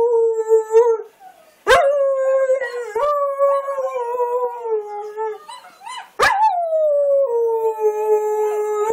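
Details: Dingo and kelpie mix dog howls in response to a recording of other dogs, giving long, level, harmonic-rich howls broken by brief gaps and sharp clicks, each held several seconds before fading or stepping down.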